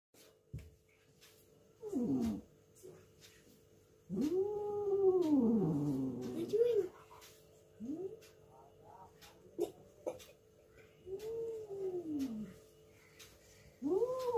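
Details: Fighting cats yowling: long wavering arched wails that rise and fall, several drawn out over two to three seconds, separated by quieter gaps with faint clicks and rustles, indoors.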